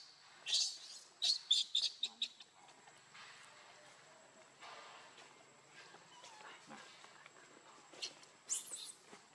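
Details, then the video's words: Baby monkey named Lucie, very hungry and crying for milk from its mother; short shrill high squeals come in a quick burst of about five in the first two seconds, then quieter murmurs and one last sharp squeal near the end. "Lucie Very Hungry Milk I Lovely Cute Baby Monkey"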